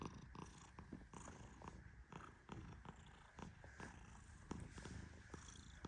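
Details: Sleeping Persian cat, a male, snoring under gentle petting: a continuous deep, soft rumble overlaid by irregular light rustling and brushing strokes about every half second.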